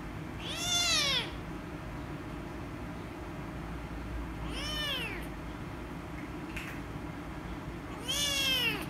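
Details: Rescue kitten, angry when petted, meows three times at roughly four-second intervals, each short arched cry rising then falling, with a noticeable low rumbling background.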